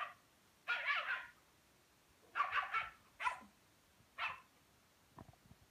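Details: Rhodesian Ridgeback puppy playing with a Pekingese: four rough, noisy barks, two of them doubled, spaced about a second apart, followed by a few soft thumps and a quiet background.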